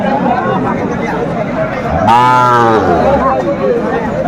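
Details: Sahiwal bulls on sale to Dhaka farmers, 26 December 2024: one deep, drawn-out moo lasting under a second rises out of steady crowd chatter and bargaining voices at the busy market.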